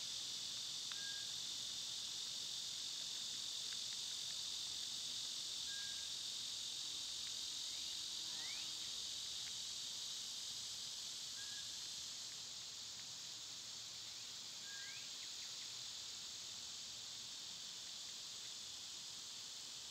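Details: Summer cicadas, loud at this time of year, make a steady, unbroken high hiss that fills the whole clip and eases slightly in the second half, with faint short bird chirps and brief rising whistles scattered through it.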